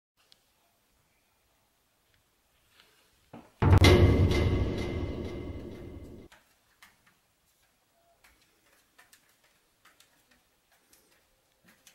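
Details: A loud drum-like rolling burst for about three seconds, surrounded by quiet scattered ticks and clicks.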